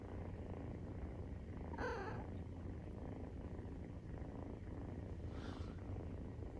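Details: Low, throbbing purr of Maine Coon cats while nursing, kittens 43 days old, running steadily; two brief rustling bursts interrupt around two and five and a half seconds.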